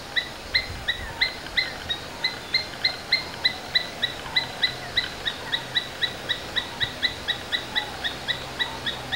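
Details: Steady series of high, sharp chips from a domestic Asian palm squirrel, evenly paced at about two per second throughout, each note crisp with a ringing overtone, quiet hiss in the background.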